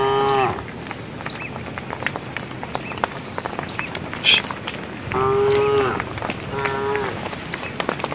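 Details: Cows in a herd walking on a project road, calling the herd toward evening; three tonal moos, the first and a long one near the end clear and steady, over a background of rustling, patter and faint chirps.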